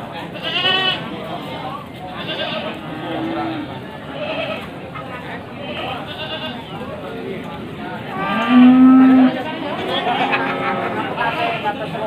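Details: Male goats offered for Qurban at Pasar Wage livestock market, Panggul, Trenggalek, Indonesia, on the morning of 18 May 2020; several short wavering bleats rise above a steady crowd murmur of people talking.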